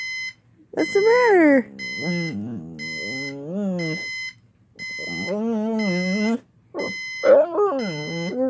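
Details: Jäger the pit bull howling when the alarm goes off, giving rising and falling whining howls in several bursts with short silences between, accompanied by the alarm clock's steady high-pitched beeping.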